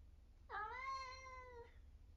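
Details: Eric, an 11-year-old semi-long-haired tabby tomcat from Britain and a very vocal cat, lets out one sustained meow lasting over a second, starting abruptly and fading slightly at the end.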